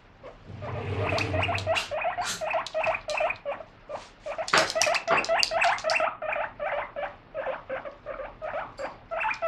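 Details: Pet guinea pig excitedly calling while lettuce is washed: rapid, repeated squeaky wheeks with stacked harmonics, about three per second, in runs across the clip, a low brief rumble near the start.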